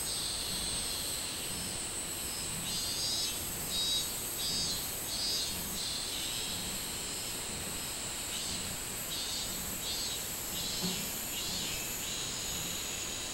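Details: Minmin cicada in summer, 24 July 2016: two spells of quick repeated buzzy pulses separated by a quieter stretch, set against an unbroken shrill insect chorus.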